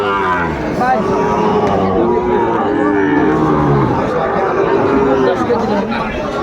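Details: Sahiwal bull calves at a cattle market in Comilla, Bangladesh, on 6 July 2024: a low, drawn-out, harmonic moo swells around the middle, half-buried under steady crowd chatter and men haggling.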